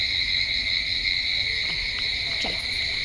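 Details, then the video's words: Night chorus of very many crickets: an intense, unbroken shrill trilling on two stacked pitches, with scattered soft ticks and a brief falling sweep late on. "चला मंडळी, तुम्हाला रातकिड्यांचा आवाज येतोय का? भरपूर म्हणजे भरपूर रातकिड्यांचा आवाज येतोय."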